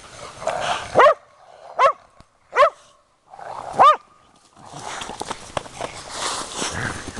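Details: Dog barking: four sharp, separate barks with a hoarse, rising-falling tone, spaced about a second apart, then a stretch of broadband rustling and background noise.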